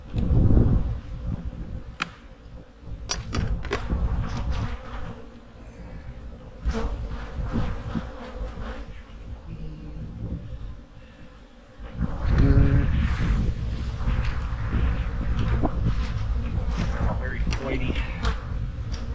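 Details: Honey bees humming in their hives during fall winter preparation: a loud low buzz that eases off in the middle, then swells strongly again for the last third, with frequent clicks and handling knocks throughout.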